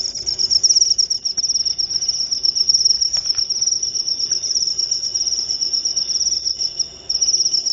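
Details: {'text': 'Continuous shrill cricket trill, rapid pulses packed into an unbroken high band, dipping briefly near the end before resuming over a quiet background hum.', 'len': 24}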